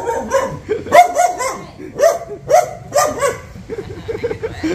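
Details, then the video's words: Dog reacting on seeing a stranger, giving short, sharp barks and yips in quick bursts roughly once a second, each with a bright tonal edge, over steady background noise. "How Dog Reacts When Seeing Stranger - Running, Barking?"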